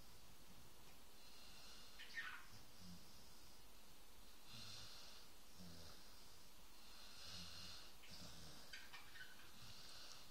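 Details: Dog snoring in a quiet indoor room: deep, rhythmic rumbling breaths, evenly spaced, with airy wheezing on the inhales and a brief snort early on.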